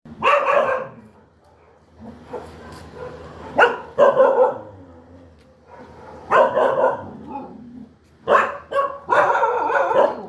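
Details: Dog barking in loud harmonic bursts, single barks and quick pairs spaced irregularly over ten seconds, with quiet pauses between groups.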